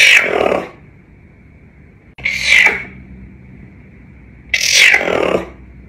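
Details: Caracal known as Floppa producing three harsh, breathy hiss-like bursts roughly two seconds apart, each lasting under a second, over a steady high-pitched electrical whine.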